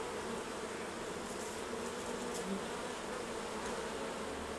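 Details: Honey bees swarming around hives at honey harvest time, a thick continuous hum with a wide hiss above it, steady in loudness from start to finish and no other distinct sounds.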